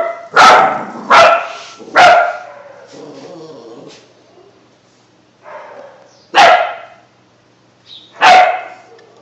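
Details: Two-month-old German Shepherd mix puppy trying out its new bark: five sharp, high yappy barks, three in quick succession in the first two seconds, then two more spaced about two seconds apart, with soft whiny sounds between.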